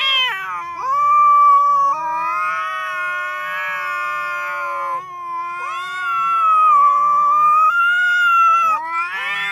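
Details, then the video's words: Cat meowing very loudly in a compilation of cats and kittens: long drawn-out yowls, each starting with a quick upward slide then holding a steady, wavering tone for several seconds, with brief breaks between. "Funny Cats and Kittens Meowing Compilation 2021.Sounds cats."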